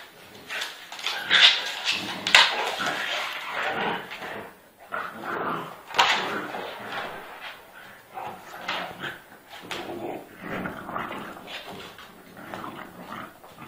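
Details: Pitbull and French Bulldog fighting hard indoors: harsh, broadband snarling and growling bursts rising and falling in rapid irregular surges, with sharp barks and yelps scattered through, loudest peaks near the start and around six seconds, human voices mixed in.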